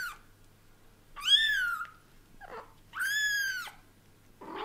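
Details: Cats at home as daddy cat Leo slowly gets used to kittens; two loud, bright meows about a second and a half apart, each rising and falling, with short fainter squeaky calls between and after.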